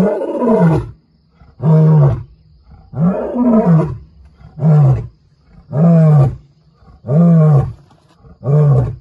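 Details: A male lion in Kruger, next to a vehicle, gives a series of deep, rough grunting roars about every second and a half, marking his territory and warning other males he is back in his area.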